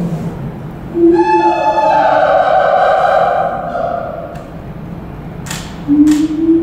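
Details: A father-daughter pair of Siamangs at a zoo, recorded 28 November 2018, duet with loud hooting tonal calls that swell and sweep in pitch, with a sharper note near the end.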